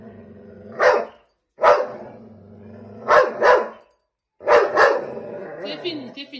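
A Belgian Malinois gives loud, harsh barks, singly and in quick pairs, with a person speaking nearby.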